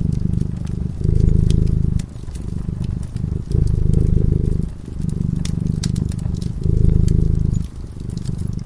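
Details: Purring cat in peaceful slumber before a flickering fire; low vibrating purr alternating louder and quieter phases about every one and a half seconds, soft fire crackles throughout.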